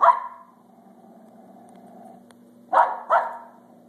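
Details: Feisty pet Pembroke Welsh Corgi female barking excitedly indoors: one loud sharp bark, a quiet gap with low hum, then two quick barks close together near the end.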